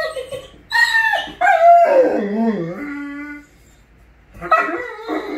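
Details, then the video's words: Great Dane overjoyed at its owner coming home, letting out long wavering howls and whines that slide downward, then a fresh burst of high yelping cries. "Great Dane loves when Daddy gets home"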